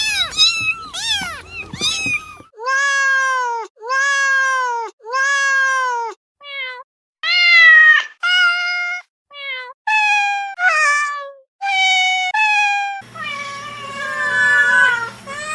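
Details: Series of domestic cat meows: rapid overlapping mews, then a steady run of similar evenly spaced meows about a second each, followed by shorter varied mews and a final longer wavering one over low hum.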